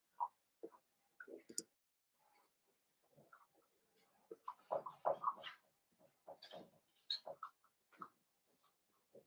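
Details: Blenheim Cavalier King Charles Spaniel puppies, five littermates born at New Year's, in a home puppy pen: busy stream of little squeaks, grunts and whines, thickest in the middle stretch, with brief quiet gaps.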